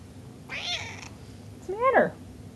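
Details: Sparky, a house cat, lets out two meows indoors, a softer muffled one followed by a loud, clear rising-then-falling meow.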